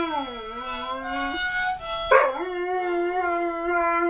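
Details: Dog howling along to music; long sustained tonal howl that dips lower, then breaks and resumes at a steady pitch, with harmonica-like music throughout.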